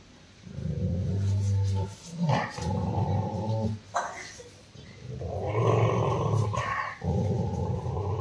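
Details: Rottweiler named Roxy growling in anger while attacking its owner: deep, rough rumbling growls in long bursts of one to two seconds with brief breaks, low and sustained, with a little background speech.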